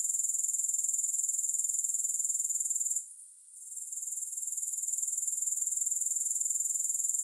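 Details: Grasshoppers chirring with no music: a steady, high, hissing trill pulsing about four times a second. It fades and briefly drops out near the middle, then returns at full strength.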